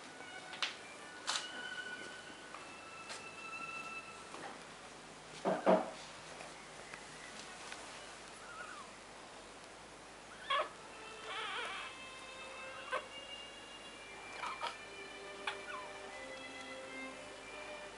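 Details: Newborn Miniature Bull Terrier puppies, half a day old, from Missy's litter born the night of 18/19 May 2012, giving thin, high, squeaky whines and short wavering cries, scattered with brief soft knocks and rustles indoors.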